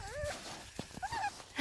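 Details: Eight-week-old Toy Australian Shepherd puppies playing outside in Michigan snow for the first time; a short, high, wavering whine, then a second thin rising whimper, with a woman speaking softly nearby.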